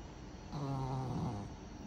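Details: A pet Pug snoring: one drawn-out, low, rumbling snore of under a second with a buzzy, harmonic tone, softer breathing noise before and after it.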